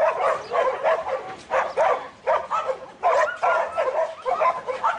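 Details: Excited, rapid barking from Buttons, a young male Border Collie sired by Brett, in training for futurity competition. The barks come in quick clusters with brief breaks.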